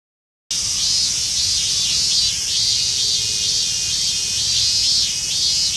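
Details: Minmin cicada, including a rare emerald-green Mikado-type form, in a park in western Saitama, Japan. A dense, high, hissing drone rises after a brief silence, with faint pulsing through it and no other clear sounds.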